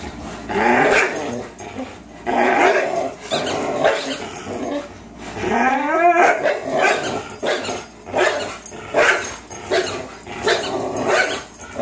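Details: Fox, a 3-year-old Greyhound, and Miles, a 3-year-old German Shorthaired Pointer, during a tug o' war marathon: long run of rhythmic, throaty growls in surging bursts every second or two, one rising whiny yelp midway.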